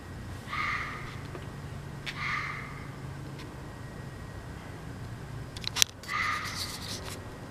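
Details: A fox barking late at night in the woods gives a few hoarse, high barks at uneven intervals over a low background hum.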